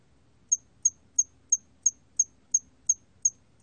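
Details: Hairy cricket, recorded by Korea's National Institute of Biological Resources in 2020, giving short, high, sharp chirps about three per second, nine in a steady row, over faint low background rumble.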